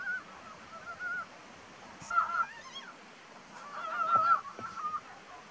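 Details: Ezo brown frogs in April give low, duck-like clucking calls in short bursts, with several calls overlapping.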